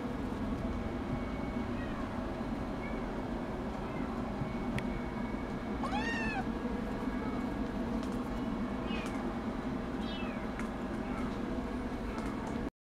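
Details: Minuet kitten giving a few short, high meows, one clear arched call in the middle and a couple of fainter ones later, against a steady loud hiss and hum of background noise.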